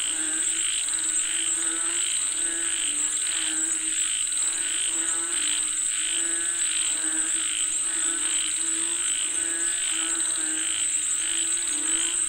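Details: Frogs calling for rain, a dense chorus of pulsing croaks repeated in rapid bursts, layered over a steady high insect-like whine that runs throughout.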